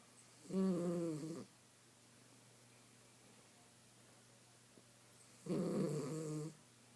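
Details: A napping female miniature schnauzer snoring indoors: two long, rough, harmonic snores, each about a second long and roughly four seconds apart, with quiet breathing between.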